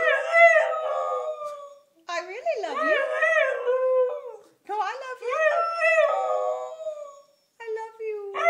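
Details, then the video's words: A young pet husky trying to talk back, producing warbling, yodel-like howls in four separate phrases, pitch sliding and dipping sharply, strong harmonics, short silences between phrases, inside a small room. "Lilly the husky says "I love you.""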